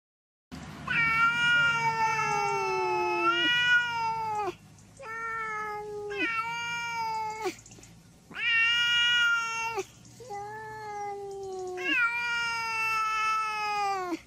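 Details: Domestic cat from a funny cat compilation giving long, drawn-out meows with a rich stack of harmonics, each cry sliding slightly downward and lasting one to three seconds, five cries in a row with short pauses between them.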